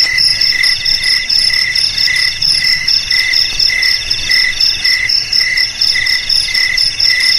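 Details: Cricket song played as a rat repellent for homes, garages, warehouses and rice fields: bright, shrill pulsed chirps in steady overlapping bursts, with a ringing high band above, over a faint low hum.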